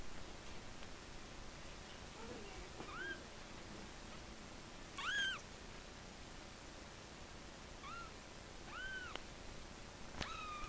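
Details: Calico Persian and chocolate point Himalayan kittens about three weeks old: thin, high arched mews scattered every few seconds, some short and squeaky, over a steady hiss of background noise.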